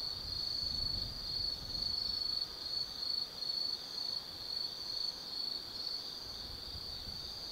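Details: Autumn night insects in the forest at Tsukimi no Mori, Kaizu, Gifu Prefecture, Japan, overlooking the Nobi Plain from 180 m: a steady high-pitched chorus with pulsed chirps swelling and fading roughly twice per second, faint low rumble beneath.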